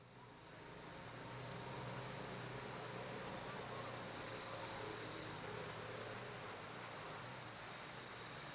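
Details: Cricket chirping, a high thin pulse repeated steadily about four times a second over a constant high whine, with low vehicle rumble and faint voices underneath.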